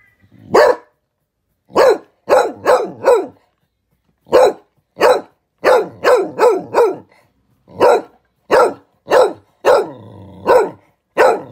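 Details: Spaniel barking excitedly after finding a window: loud, sharp barks in quick runs of two to four, about fifteen in all, separated by short silences.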